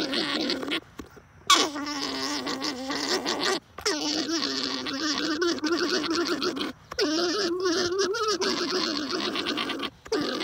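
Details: Alpacas during breeding give a continuous gargling, buzzy drone with a steady low pitch and rich overtones, wavering slightly. It runs in long stretches broken by brief silences.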